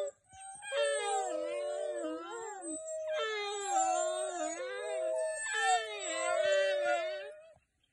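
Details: An African wild dog gives long, wavering "hoo" calls, a pack call used to reconnect after a hunt or separation; this instance is described as extremely unusual and a little eerie.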